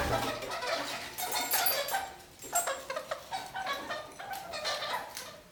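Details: Pet kakariki indoors, clinging upside down and walking across a ceiling while singing: a run of harsh, chattering notes and short rasping bursts, uneven in rhythm, with scratchy broadband rustles in the room.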